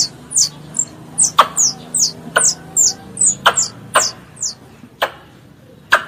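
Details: A squirrel pest calling to its mother makes high-pitched, downward-sweeping peeps, roughly two per second, punctuated by crisp clicks. The background is quiet apart from a faint low hum.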